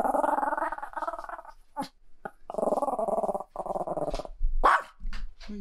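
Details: Chihuahua fussing and protesting as its owner prepares to go out, giving long drawn-out moaning whines in several bursts, broken by sniffs and a short yelp, with a person's soothing voice.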